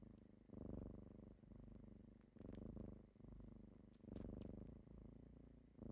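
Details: Deep, rolling purr of kittens on a typical morning waking someone, breath-paced surges roughly every one and a half seconds, with a few quick faint clicks partway through.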